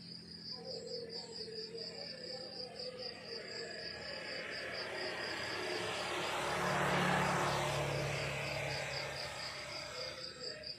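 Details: Crickets chirping in the countryside in the morning: a steady, high, pulsed trill repeating nearly three times per second and very regular throughout. A broad, low rushing swell of background noise rises through the middle and fades again.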